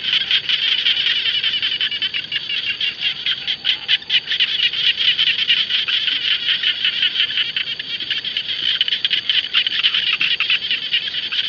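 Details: A chorus of jana frogs sounding over the rice fields. Many overlapping high, grating pulse trains merge into a constant rattling wall of sound with small rises and dips in loudness.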